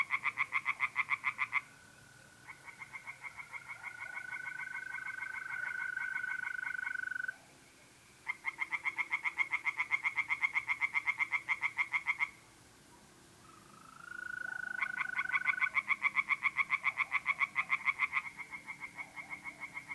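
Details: Tree frogs in a pond, April night in north-east Italy, croak in three long rapid pulsed bouts separated by short gaps where the sustained whistling trill of mole crickets stands out.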